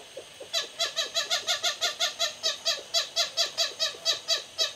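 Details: Evening calls of lesser galagos (bushbabies) sharing a thatch roof in Hoedspruit, South Africa, as a rival family follows the same route: a quick run of loud, rich, nasal barks, roughly three per second.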